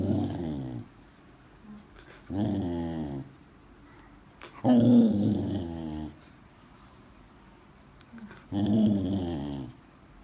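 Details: Samoyed dog chatting indoors: four separate low, rumbling, growl-like vocal bursts, each about a second long, with moaning, talk-like rises and falls, separated by short quiet pauses.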